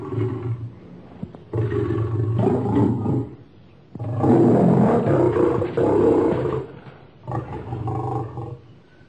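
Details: Lion in a roaring bout: several low, throaty roars of rising loudness, the strongest in the middle, then shorter grunts fading out.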